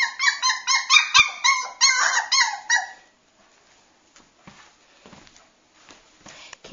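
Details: Cockapoo puppy, several in the room, yipping in quick high squeaky bursts for about three seconds, then near quiet with faint soft rustles and small knocks.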